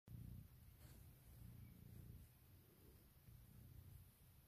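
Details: A pet cat with a very loud purr, waking its owner in the morning and asking for cuddles and kisses; low, steady rumbling in rhythmic waves, then a soft voice answering.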